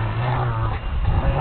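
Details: Elderly dog Gunner growling playfully while biting on a piece of wood during play with his owner; a low, steady rumbling growl runs through the whole stretch without a break.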